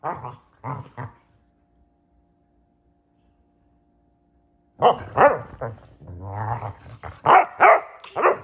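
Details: Two Basset Hounds playing hide and seek: a couple of barks, then about four seconds of quiet, then a fresh run of loud, resonant bays and a low growl-like stretch.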